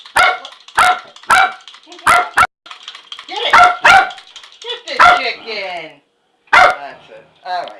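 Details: Dog named Shelbe chasing a toy chicken indoors, giving short sharp barks in a loose series with brief yips and whines between, over a person's encouraging voice.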